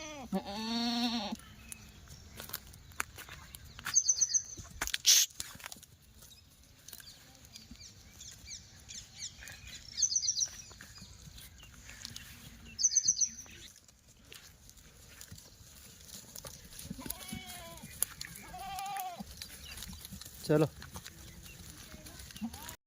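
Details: Sirohi goats at a goat farm in Thiruvananthapuram, Kerala, recorded 3 August 2024; a wavering bleat opens the recording, followed by a few shorter quavering bleats later, amid background noise, thumps and brief high chirps.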